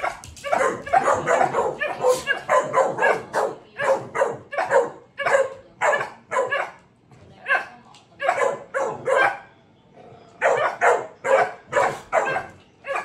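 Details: Several dogs vocal together, a dense run of sharp barks and yips in quick irregular bursts, brief pauses near eight and ten seconds, loud throughout.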